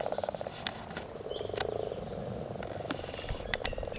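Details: Frogs calling in a steady chorus of fast, rattling pulses, a low purring croak running throughout, with brief sharp clicks and a thin whistled note over it.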